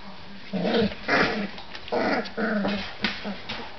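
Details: Three-week-old Collie puppies at play, giving a run of short, rough, grumbling growls and yips in uneven bursts about every half second, several pups overlapping.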